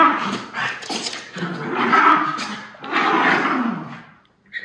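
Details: Freshly groomed Miniature Schnauzers Levi and Lucky play fighting at full intensity after haircuts in Maine. Continuous low, harmonic growling rises and falls in two long waves, ending in a brief pause.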